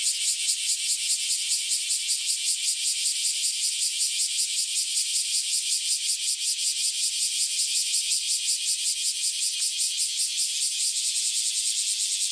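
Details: Cicadas newly emerged after years underground, singing together before flying off: a dense, loud, high buzzing wall with a fast pulsing throb, about two to three beats per second, slightly brighter near the end.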